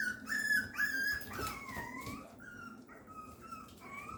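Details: Female Papillon puppy whining on the morning of August 28, a continuous string of high, wavering whines, some sliding downward, roughly two per second, with little else audible.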